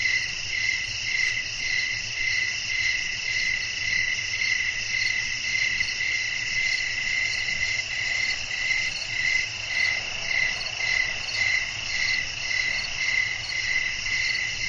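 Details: Night ambience of crickets calling amid blowing wind: a dense, continuous shrill chorus with a rhythmic pulse close to two beats per second, unbroken throughout, with soft low rumble beneath.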